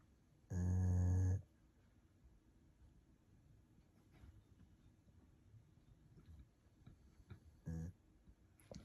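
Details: Golden retriever napping comfortably indoors, giving one loud, deep rumbling snore early on, then a second shorter snore a few seconds later, with a quiet room in between.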